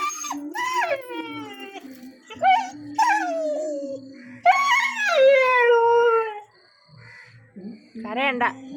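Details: Chikku, a nine-month-old pet puppy in India, cries after his father left without taking him; several whining, falling howls broken by pauses, with a woman's soothing Malayalam speech and faint background music between cries.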